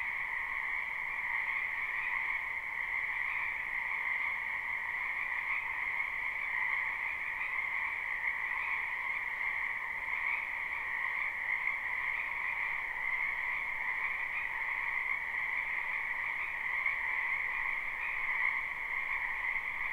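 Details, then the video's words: Wild frogs in a spring wetland near a home, recorded live without looping, form a constant massed chorus of fast trilled croaks in two steady pitch layers, continuous for the whole stretch with no pauses. "Ambient Noise for Sleep Frogs"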